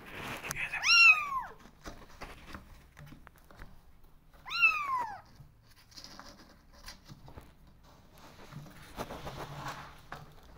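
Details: Kittens asking to go outside: two loud, drawn-out meows that rise then fall, a few seconds apart, followed by quiet room sounds and soft shuffling.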